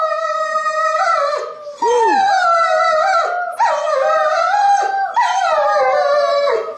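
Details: German Shepherd pet singing with a girl on Christmas morning: a series of sustained, slightly wavering howls in four phrases with stepped pitch changes and one short arched yelp-like note between them.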